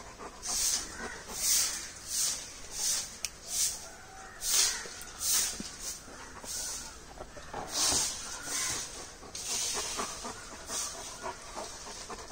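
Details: A 7-month-old male merle Great Dane pants in quick, breathy, hissing bursts that rise and fall unevenly.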